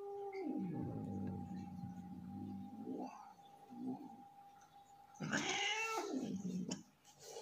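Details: Leo, an angry tomcat not in the mood, gives a low rumbling growl for about two seconds, then a brief quieter sound, then a harsh rising yowl with a noisy, hissing edge, over a steady background hum.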